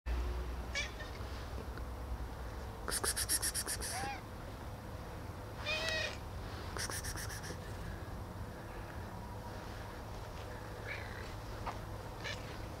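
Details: Hungry ginger and tabby cats, with the weather cold, give several drawn-out rising and falling meows over steady low rumbling noise, with a person's voice nearby.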